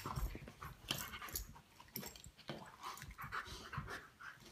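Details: Two Great Pyrenees, Cubacca and Luna, lazily play fighting in a living room; soft rapid panting with brief low growly bursts and scuffling, broad bursts spread across the short indoor recording.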